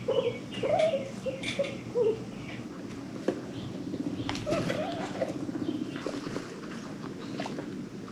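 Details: Pet guinea pig from a herd adopted from Los Angeles Guinea Pig Rescue, happy squeaking: short, bright, harmonic chirps repeated several times in the first two seconds, then softer scattered squeaks over rustling and shuffling indoors.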